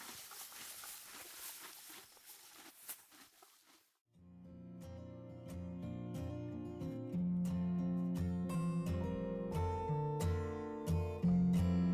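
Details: Soft outdoor rustling and crunching for a few seconds, then plucked guitar music takes over. No clear animal voice stands out.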